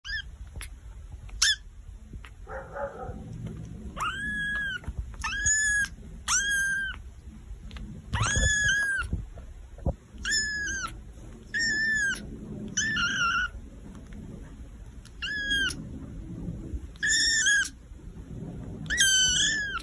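A kitten gives high, thin, plaintive meows, repeated about once a second to call other cats.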